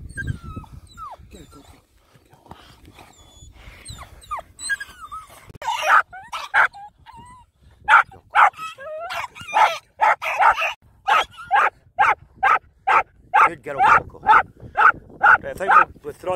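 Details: Working Jack Russell terriers on fox control in Renfrewshire, Scotland: after scattered whines and yelps, loud sharp barks come in a quick, fairly steady run of about two per second, with some speech mixed in.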